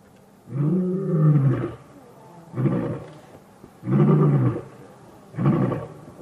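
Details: Male lions of the Matimba coalition answer the challenging Birmingham males on August 5, 2015, as a takeover begins. Four deep, harmonic roar bursts, each about a second long, follow one another at roughly one-and-a-half-second intervals.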